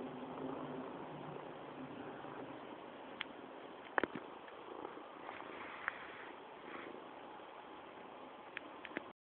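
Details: Mr. Cam, also called Matouš, a fat cat at home and satisfied, purring in a continuous rough rumble, with a few sharp clicks and small knocks around the middle.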